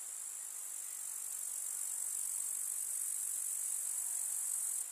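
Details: Summer meadow grasshoppers in a rural setting with wild flowers, giving a continuous thin, sizzling high trill that holds an even level for the whole stretch, cutting off abruptly at the very end.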